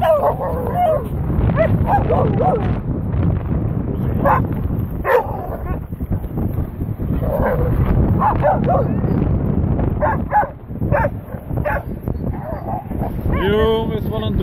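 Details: Dogs of a lively Thursday-afternoon group making a racket: dense, overlapping barks, yips and whimpers throughout, ending in a rapid rising series of yelps, with human voices mixed in.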